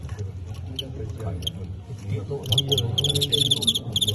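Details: Crickets in a staged cricket fight, Teng County against Qingyuan, the Teng County cricket winning by knockout; high, shrill chirps come in quick pulsed bursts, thickest in the second half, over steady Cantonese conversation from onlookers.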